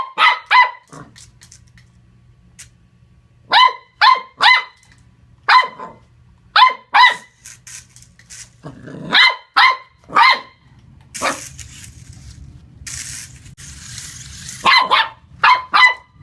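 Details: Playful Corgi puppy taking on a remote-control car, letting out bright, high barks in rapid clusters of two or three, separated by short pauses filled with a low whirring hum and brief rustling noise.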